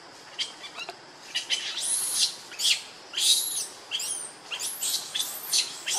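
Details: Hungry baby monkey Lucie begging for milk with shrill, arched screams repeated about every half second, rising and falling steeply in pitch.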